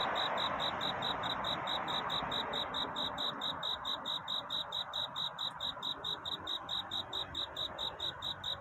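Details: Crickets calling for a mate at night, a continuous run of sharp, high-pitched chirps at a brisk, even pace with faint background hiss.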